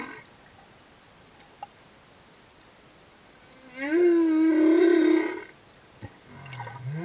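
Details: Singing male humpback whale escorting a female and her calf near reefs in Tonga: a loud tonal moan rising then holding steady for about a second, rich in harmonics, with a faint low rising grunt afterward and quiet underwater background.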